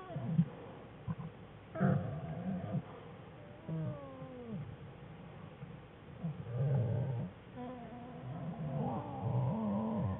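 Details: American black bear Jewel with cubs Fern and Herbie curled together in the den, February 21, 2013, cubs starting to play: wavering, harmonic cries, some bending upward and downward, mixed with low rough grunting pulses through the clip.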